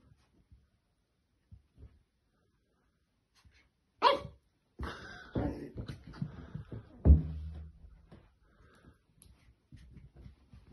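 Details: A female French Bulldog puppy seeing her reflection in a mirror for the first time plays with it, giving a few sharp, yappy barks and low grumbles after a quiet start.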